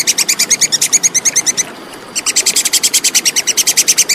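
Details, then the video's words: Tupai kekes, the plantain squirrel, in a clean recording meant for tutoring competition songbirds: quick, piercing, tick-like notes in rapid succession, one brief gap midway, then the chatter continues. "SUARA TUPAI KEKES JERNIH"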